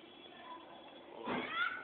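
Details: Mano, a newly adopted, pure white pet cat, gives one short meow in the last second. It is tonal, with stacked overtones, and comes after a quiet indoor stretch. Voices are heard nearby.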